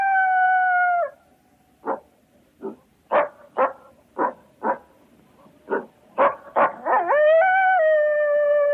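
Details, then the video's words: Coyotes: a howl falls away, then about a dozen clipped, harsh barks follow at uneven intervals, speeding up before merging into overlapping wavering howls that settle into a long steady tone. "Coyotes Howls And Barks"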